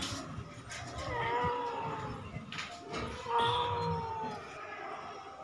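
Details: Kittens left in the house while their mother sunbathes outside, with two drawn-out wavering meows, the second longer and falling away, over low household rumble.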